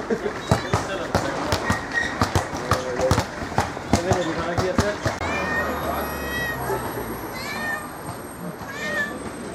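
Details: Cat in Malgrat de Mar scolding tourists: after clattering and voices, a run of short, rising meows repeated several times over background chatter and a steady high tone.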